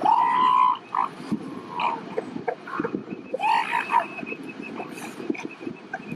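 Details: Elephant seals during pupping season at Piedras Blancas near San Simeon, California, as a male mates with a female and crushes a pup while its mother tries to drive him off. A loud drawn wail opens, then shorter rough calls over a noisy colony.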